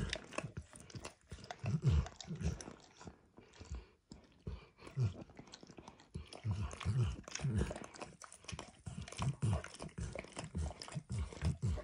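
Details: Pet dog Max works at an orange bumpy lick mat with food: damp, low smacking licks in clusters, a short lull near the middle, then renewed steady lapping, with faint crunchy mouth noises and no speech.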